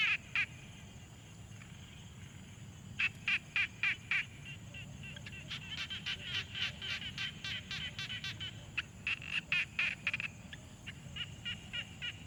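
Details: Frogs calling at a quiet pond, field-recorded on a Tascam Portacapture X6: bursts of short, crackly pulsed notes repeated several times a second, broken by pauses, over faint low background hum.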